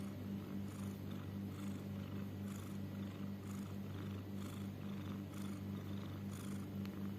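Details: Pet cat heard snoring or wheezing, perhaps struggling to breathe; continuous deep rumbling hum with a throbbing pulse and airy hissing breaths repeating about once per second.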